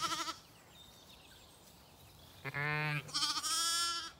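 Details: Zwartbles lambs calling for ewes that abandoned them to eat breakfast on an Irish farm in County Kilkenny; a short bleat opens, then after a quiet gap two strong, wavering bleats follow back to back.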